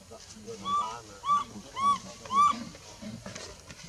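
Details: Baby monkey in the Bayon area crying as its mother pushes it away from her milk; four loud, clear whistled cries, each slightly arched, repeated about every half second, over quiet murmured human speech.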